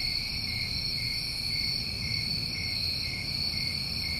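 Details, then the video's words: A summertime chorus of New England crickets: an even, unwavering high-pitched trill layered in several bands, with no pauses, above faint low-frequency background hiss. "Over 1 Hour Of Tinnitus Masking With Crickets"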